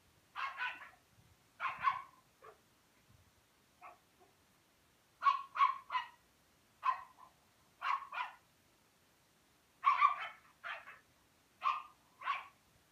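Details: A Rhodesian Ridgeback puppy playing with a Pekingese keeps up steady excited yapping, mostly in quick pairs and triplets about every second, with a few softer yips between.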